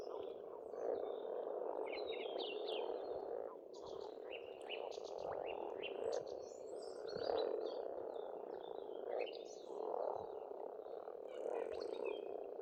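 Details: Frogs in spring at a pond on an Estonian farmstead, a dense steady croaking chorus forming a continuous murmur, with many birds singing bright chirps and whistled phrases above throughout.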